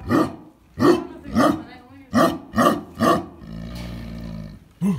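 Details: Deep, booming barks from a Tibetan Mastiff, six heavy roaring bursts spaced about half a second apart, then a lower droning growl and one final bark.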